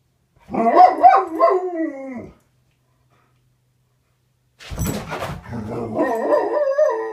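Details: A pet Alaskan Malamute says good morning to its owner indoors with a burst of expressive, up-and-down warbling 'talking' moans, a pause, then a scuffle and a second run of chattering, howl-like vocal sounds.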